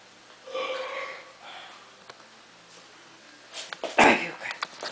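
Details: Husky puppy named Arya giving two short, tonal whining calls, the first drawn out and steady, the second briefer, followed by a pause, then sharp sniffing and snorting bursts near the end.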